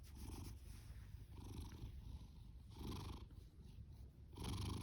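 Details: Booming snore and purr of Fasu, an orange tabby tom born October 2019, rescued from a cat shelter in July 2020; a constant low throb broken by rougher breathing swells every second or so, loudest at the end.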